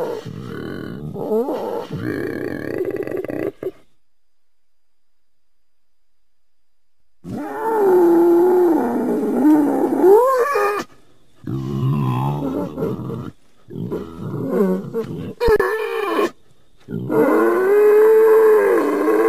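An Indian boar gives harsh, throaty grunts and drawn-out groans in bursts separated by silences.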